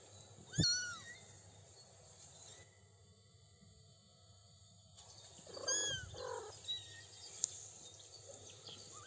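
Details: Three-week-old kittens exploring a grassy lawn with their mother; one sharp, high mew opens, followed by a quiet stretch, then fainter mews and soft rustling bursts near the middle, with a steady outdoor hiss behind.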